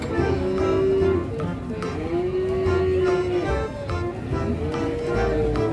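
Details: Loud music with a sustained melody line over drums and bass, with some speech-like sounds underneath; no clear animal voice.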